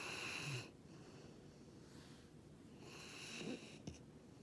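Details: Jiji, a male rescue dog, snoring like Darth Vader indoors: two long, hissing, wheezy breaths about three seconds apart, with a quiet room between them.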